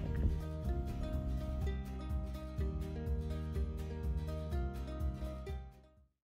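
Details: Only background music with a steady beat and guitar-like tones is heard, fading out at the end.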